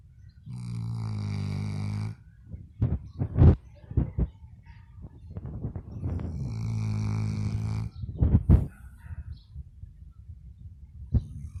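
A sleeping Labrador snores in long, low, rattling breaths, spaced several seconds apart.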